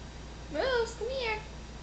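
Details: Moose, a cat with his head stuck in a tissue box, gives two short meows, the first rising then falling, the second a softer bent tone, over faint room noise.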